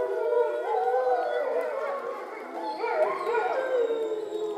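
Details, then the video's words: Captive grey wolves at a visitor center in Šumava National Park, Czech Republic, howling at dusk in September from somewhere below a bridge, almost in the dark. Several long, wavering howls overlap in a chorus, rising and falling in pitch. "I was hoping that the Wolves would howl into the camera at dusk but this time they howled somewhere down below the bridge"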